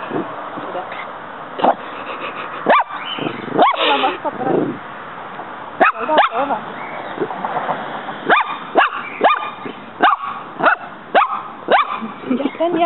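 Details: A pet dog in a yard, fighting a praying mantis that keeps fighting back, gives short sharp barks and yips at irregular intervals while people talk and encourage her in Spanish.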